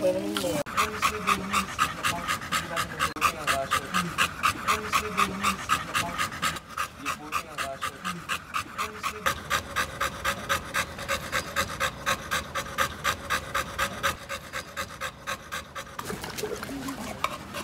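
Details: American Bully dog, from a pair of pet Bolow-bloodline American Bullies, Bilbow (pocket type) and Lily (classic type), panting in quick steady breaths about four per second, with Spanish speech over it throughout.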